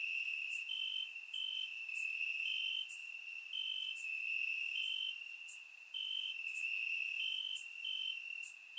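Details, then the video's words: On a warm Bulgarian summer night, crickets chirp in the grass; a continuous shrill trill underlies repeated brighter pulses and short clicks, the chorus dipping briefly around six seconds before resuming, recorded with a surround microphone. "Cricket Sounds - Crickets Chirping at Night"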